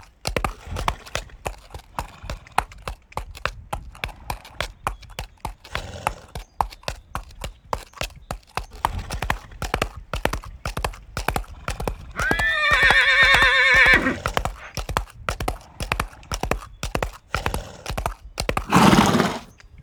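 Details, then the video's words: Horse trotting with steady clip-clop hoofbeats throughout, then a clear wavering high whinny of about two seconds that falls in pitch, followed by a short breathy snort near the end. "Horses with sounds"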